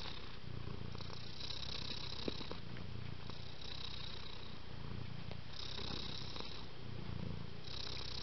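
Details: Domestic cat purring steadily and up close. A throaty low vibration alternates with brief hissing breath phases, with a faint electrical-sounding high whine in the background.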